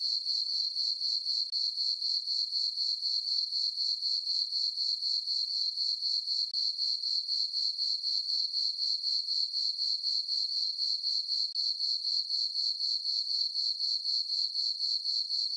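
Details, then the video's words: Chirping crickets in a meadow on the farm, summer night, full moon and dark skies; an unbroken high-pitched pulsing trill, steady at about four pulses per second, with no other animals or noises. "Cricket chirping sounds for sleeping - sleep and relaxation nature sounds at night"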